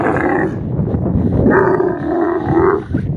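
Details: Desert camel giving a continuous deep, rough growl with a gurgling, harmonic tone that swells and holds for about three seconds.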